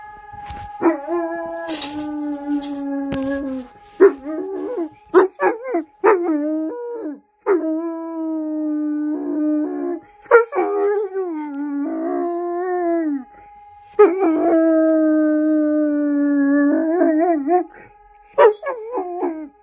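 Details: Wolfdog howling along with sirens: a series of long, harmonic-rich howls, each held for one to three seconds with short pauses between them and gliding, wavering ends, over a steady high siren tone.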